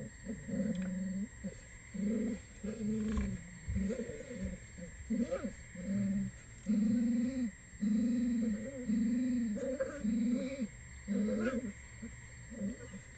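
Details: Six one-month-old red wolf pups at dinner as a parent brings food, live webcam at the Wolf Conservation Center; a run of repeated short tonal whines or squeals, about one per second, over steady background hum.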